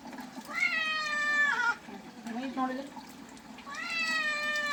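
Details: Cat being bathed gives two long, strained meows a couple of seconds apart, each sustained and slightly falling at the end, with a softer low whine between them indoors.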